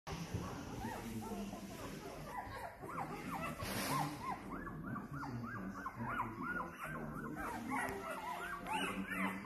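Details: Bernese Mountain Dog puppies, a litter of two males and two females born 12 December 2022, kennel Van 't Stokerybos; many short high whines and squeaks overlap in quick succession over a low background hum.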